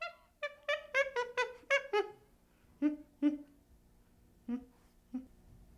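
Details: Baby chimpanzee producing a quick run of high, clear, falling whimper notes, then slower, lower, isolated hoo sounds spaced a second or more apart in a quiet setting.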